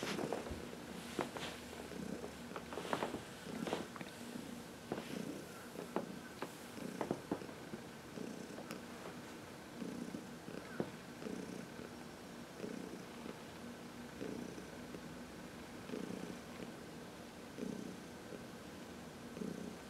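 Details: Contented purring from Heidi, an elderly shelter-adopted cat from New York City, massaged in the sun on March 19, 2021; regular inhale-exhale purr cycles with scattered soft clicks and rustles of handling.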